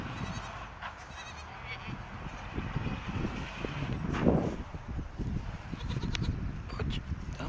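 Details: Village goats going out to pasture in the morning give scattered bleats amid heavy low rumbling, footsteps and shuffling, with some voices mixed in.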